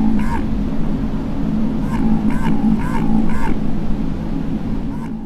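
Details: Underwater recording of Antarctic minke whale bio-duck calls from the Southern Ocean, first recorded by submarine crews in 1960: short quacking pulse bursts repeated every half second over low rumbling ocean noise.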